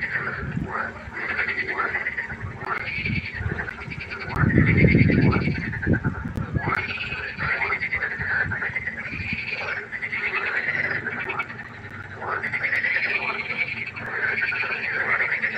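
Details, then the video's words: Pond frogs at night in full chorus: overlapping rasping, harmonic croaks pulse steadily for the whole stretch, broken by a loud low rumbling burst around the fifth second. "1 Stunde Froschkonzert. Frosch Geräusche quaken. Frösche Geräusche Konzert"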